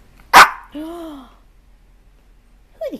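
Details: Dog giving one loud, sharp bark, followed by a drawn-out arched tonal sound and a brief falling squeal near the end, in a quiet indoor setting.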